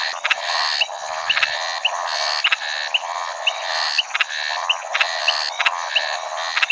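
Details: Scinax eurydice, the shy Maracas snouted treefrog of Brazil, gives repeated buzzy, grating croaks roughly every half second, each followed by a short high whistle, over a continuous hum of other calling frogs.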